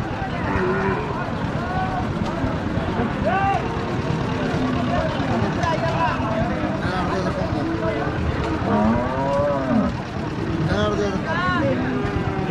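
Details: Deshi bulls at a busy village cattle market in Hazratpur, Bangladesh, a low, drawn-out moo rising and falling around 8 to 10 seconds, with shorter lowing nearby, over constant crowd chatter and engine noise.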